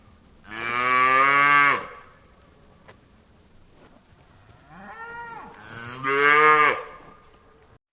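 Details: Farm cow mooing in a long, full, low, droning moo. After a pause comes a shorter rising-then-falling bawl, followed directly by a second loud moo. Background is otherwise quiet.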